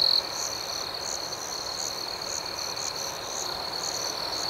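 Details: Crickets at night in a natural outdoor setting: an unbroken shrill tone with faint rhythmic chirps pulsing about twice a second, a short louder trill opening the recording.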